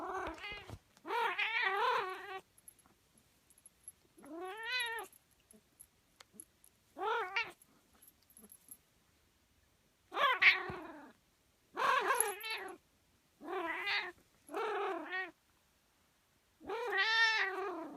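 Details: Domestic cat indoors making odd, drawn-out meows and yowls, about nine harmonic calls of half a second to a second each, some rising then falling, separated by short silences with faint clicks and rustles between.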